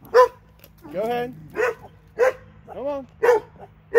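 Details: Two Alabama dogs give a run of short harmonic barks about every half second, mixed with longer, drawn-out rising and falling whine-like sounds or voices.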